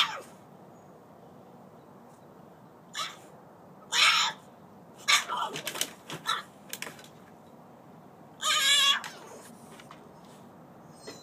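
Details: French Bulldog Collette, who hates being outside alone, cries to be let back in: short, high, nasal whines in separate bursts, three louder ones spaced a few seconds apart, with faint clicks and rustles between.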